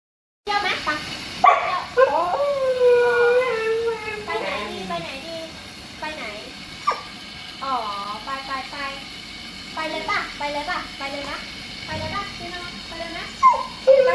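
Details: A female Siberian Husky, who began "talking" at six months old, gives drawn-out, wavering yowls that bend up and down in pitch.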